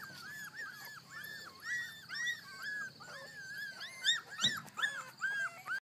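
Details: Puppies of a litter out of doors for the first time, whining in a steady run of high arched whimpers about two or three per second, some squeaky yips, and a person coaxing them.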